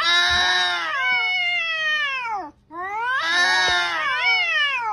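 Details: Domestic cat cursing, two long drawn-out harmonic yowls, each starting high and sliding downward over about two seconds, separated by a brief silence.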